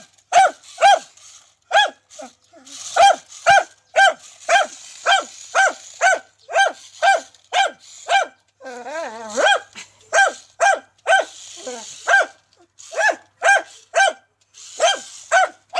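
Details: Dachshund facing a remote-controlled tarantula, barking rapidly and insistently in sharp, high yaps about twice a second; midway a wavering whine or growl breaks the run before the barking resumes.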